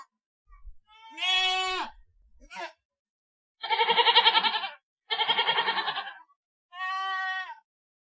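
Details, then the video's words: Goat giving a series of bleats: a clear wavering cry, a brief faint call, then two long, strongly tremulous bleats and a final smoother one, separated by silent gaps. "SONIDO DE CABRA"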